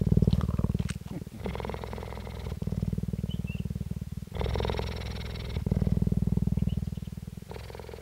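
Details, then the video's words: Purring captive female cheetah in Parys, South Africa, 5 May 2019: strong continuous low pulsing near four beats a second, switching between smooth and gritty, brighter passages, with a few faint clicks and murmurs at the start. "purring cheetah"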